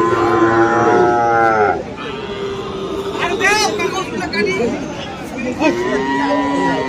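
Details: Friesian or crossbred cattle at Aftabganj livestock market, Dinajpur, on 21 February: a long, deep, harmonic-rich moo fills the first two seconds, then fades into market chatter with brief rising calls in the crowd.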